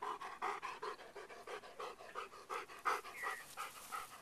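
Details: Rhythmic dog panting from Beau out on a walk between snacks: about a dozen quick, breathy huffs in four seconds, each a soft raspy pulse, with no other clear sounds.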